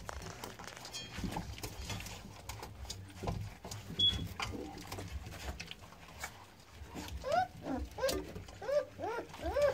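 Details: Newborn American Staffordshire Terrier puppies, born 9-6-17: after several seconds of shuffling and rustling, a quick run of short, high, squeaky whimpers rises and falls, about one every half second near the end.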